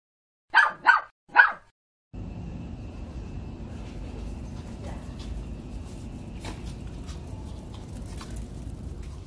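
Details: Two grown sibling dogs playing together on a rooftop: three sharp, quick barks in a row, then a steady rushing background noise with no further calls.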